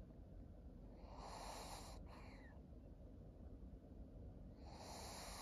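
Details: Maria, a senior pug, a thirteen-year-old fawn female in Japan, August 2023. A drawn-out wheezy breath lasts over a second, then a pause, then another hissing breath begins, all against a constant low hum.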